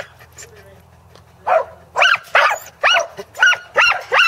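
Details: Second sheep-herding attempt by corgis Teddy and Jack at Island Crossing Farm in Arlington, 27 March 2011: after a quiet start, a string of six loud, sharp barks fires off about every half second.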